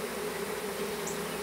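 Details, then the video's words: Brief moment of a small honey bee swarm being hived in a privet hedge thicket in south Alabama, April 2014; unbroken steady hum of many bees. "Honey Bee Swarm"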